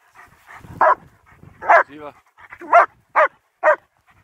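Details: German Shepherds Nico and Zeeva on a winter wander near Hawick, Scotland, recorded on a Samsung S23 Ultra: sharp, loud barks come irregularly, about five in four seconds, with a softer whining, voice-like sound between them.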